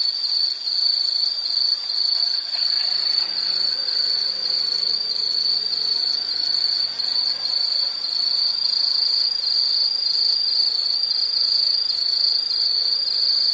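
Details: An insect gives a high, nearly unbroken trill that barely wavers for the whole stretch. A faint low hum lies underneath.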